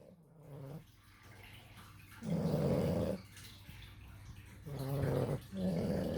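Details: Two sleeping puppies, Rutger and Duncan, snoring indoors: three low, raspy, rumbling snores of about a second each, separated by quieter breathing gaps of roughly two seconds.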